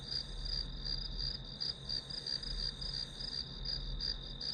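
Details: Chorus of grass insects heard as white noise: a high ringing trill pulsing several times a second, slightly uneven in rhythm, layered over a constant low hum.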